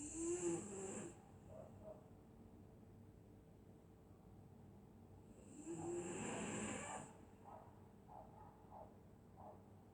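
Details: Sleeping dog on a winter night in Scotland, snoring in slow cycles: a raspy, hissing snore, a quiet pause of about five seconds, then another long wheezy snore followed by soft snuffling breaths.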